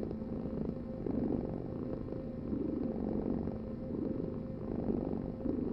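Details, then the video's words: Cat purr, a continuous deep throbbing hum rising and easing in gentle waves roughly every one and a half seconds, four swells, quiet background. "Heal with the ultimate cat purring vibration"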